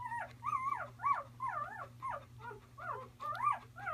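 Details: Newborn Bernese Mountain Dog puppy crying steadily: a quick series of high, wavering, arched whimpers, each rising and falling, close and clear over a low background hum.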